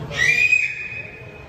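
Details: A beluga whale playing with its toys gives a brief, high, clear whistle that holds steady and then fades.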